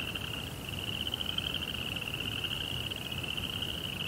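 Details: Night crickets keep up a continuous shrill, finely pulsed trill on one high pitch, with a fainter lower band of pulses and a soft background hum.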